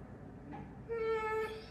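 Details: Pit bull named Zeusy, kept as a pet indoors, demanding carrots after already getting treats; a short high whine held on one pitch for about half a second, rising into a brief squeal, with its owner talking right after.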